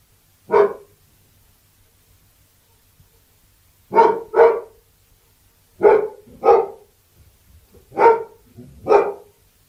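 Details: Labrador Retriever barking: a single loud bark, then three pairs of sharp barks spaced a few seconds apart, each short and harmonic-rich, over near silence.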